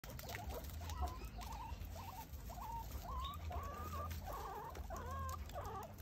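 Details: Guinea pigs give a series of short wavering squeaks, each a brief up-and-down chirp, repeated roughly every half second, over a steady low hum and rustling.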